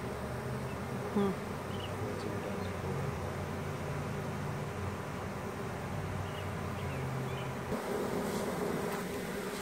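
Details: Honey bee swarm draping off a small branch into a hive box after their queen was placed inside; a steady low droning hum holds throughout, with a brief soft knock early on.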